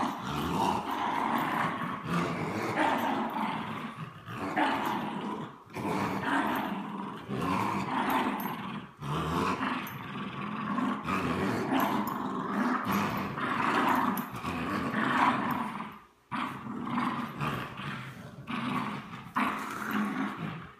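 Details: A French Bulldog and a Bichon Frise growl while tugging in play; long stretches of raspy, pulsing growls broken by brief pauses, roughly every two to three seconds, throughout.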